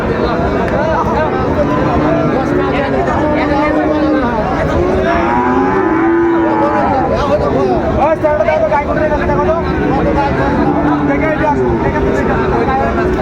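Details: Bull calves of Friesian and cross breeds at a busy livestock market in Raniganj, Dinajpur, Bangladesh, 26 July 2024; repeated sustained lowing calls from several animals, some bending in pitch, amid continuous human talk and crowd noise.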